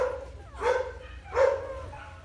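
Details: Newborn Golden Retriever puppies, four days old, nursing from mother Guin: two loud, drawn-out whining cries about a second apart, each swelling and then fading, with softer whimpering between them.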